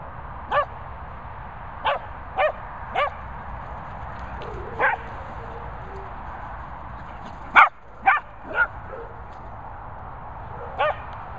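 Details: Playful barking from a Cockapoo and a Labrador together in Worcestershire countryside; brief sharp barks in an uneven series, a louder cluster around the middle, with faint background hiss.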